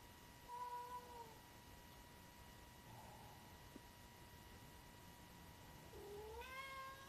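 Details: Tuxedo (black-and-white) cat recorded April 9, 2025, giving two meows: a short level one early, then a louder rising meow after a long quiet pause, with a constant high-pitched electronic hum behind.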